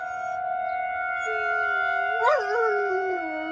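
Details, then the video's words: Dog howling along with a tornado siren drill in Rochester, Minnesota, going outside to do so. A rising, wavering howl swells and bends in pitch against the steady siren tones behind it. "Dog howling at Tornado siren drill"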